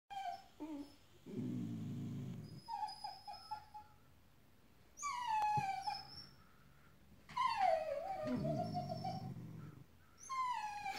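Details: Dogs crying after a feeding squirrel on a hot morning: high, drawn-out whines that slide and waver, with separate bursts of lower, rougher grumbling between them and short quiet gaps.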